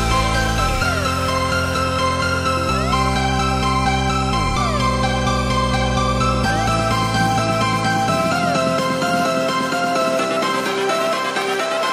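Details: Steady electronic dance music with sweeping synth tones fills the whole stretch, with no animal sound.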